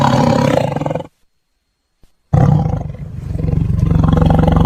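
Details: Tiger (Panthera tigris), roar.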